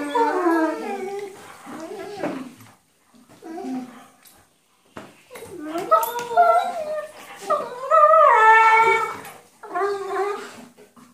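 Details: Two Weimaraner sisters play-fighting on a bed make whiny, howling play-growls, voices rising and falling in long, wavering notes. Weimaraner.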